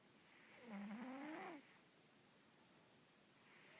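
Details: Snoring Russian Blue cat, sleeping: a single loud, rasping snore rising slightly in pitch over about a second, then quiet breathing before the next snore begins.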